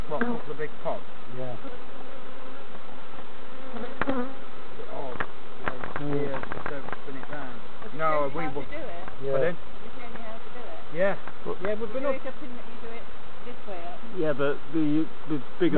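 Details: Dense, continuous hum of honey bees around opened hives at Summerwood Lane Allotments and Community Garden, checked by novices; many overlapping bees whir past in quick pitch-bending passes, with faint clicks from handling frames.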